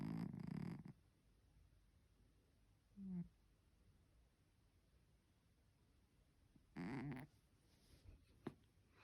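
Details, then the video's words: Sleeping three-legged house cat snoring: a loud rough snore at the start, a short snort near three seconds, then another strong raspy snore around seven seconds, with soft clicks after it in near silence. "코고는 고양이 복만 Roncando gato"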